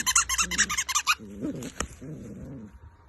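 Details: Golden Retriever puppies playing with their toys give rapid, high squeaky bursts, then lower whining, growly moans.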